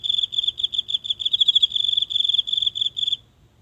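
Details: One insect singing nightly in a tiny garden's grass, phone held close; a continuous high, rapid pulsing trill lasting about three seconds before stopping, steady pitch, quiet low background hum.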